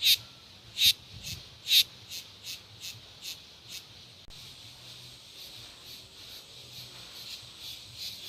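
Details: Cicadas sing in three strong, harsh, rasping pulses at the start. Weaker pulses follow, then the sound fades into a faint, continuous high buzz that carries on to the end.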